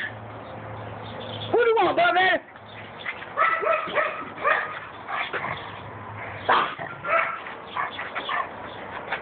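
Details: Vader the pug, captured on an Android phone, lets out a loud burst of wobbling, rising-and-falling howls, then a series of softer yodelling whines while people speak and encourage him.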